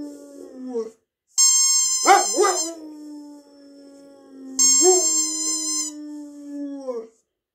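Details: Sanza, a female dog who howls on hearing a squeaky toy, gives two howls broken by a quick wavering yelp, each held steady before sliding down, with bright toy squeaks starting each one.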